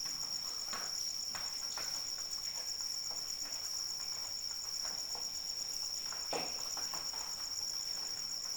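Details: A cricket's shrill, sustained pulsing trill runs throughout while rain falls, with frequent irregular drip and splash sounds, one heavier plop standing out near the end.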